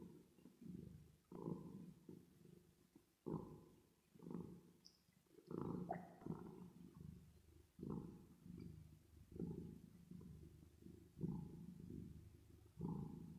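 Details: Purring from a cat at rest, treated with reverb: a low grumbling drone pulsing in regular breaths about every two seconds, each swell starting strongly and fading before the next.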